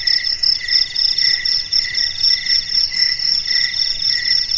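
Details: Nighttime crickets produce a sustained, shrill, pulsing trill with rhythmic rises in loudness, multiple callers blending into one steady high chorus.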